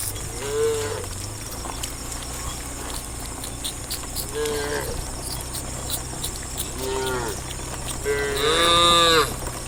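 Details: ,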